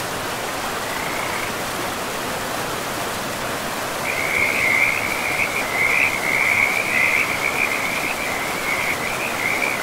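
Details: Frogs calling beside a river in a pristine, moss-covered forest: a brief high trill near the start, then from four seconds a sustained run of rapid, rattling croaks, all over a steady hiss of rushing water.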